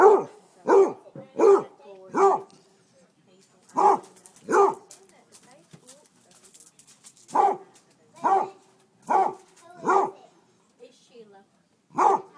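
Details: A household Basset Hound barks at chicken thighs off the grill in quick runs of short, throaty woofs, several per burst with brief pauses between groups, and soft whimpers in the gaps.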